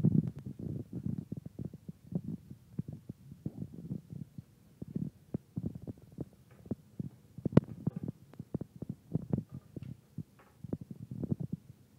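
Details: Irregular low thumps and rustling handling noise, with no clear animal voice.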